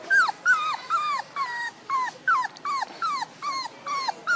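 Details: One-month-old puppy whining, a steady series of high, downward-sliding cries repeated about every half second, each one short and nasal, with a quiet background.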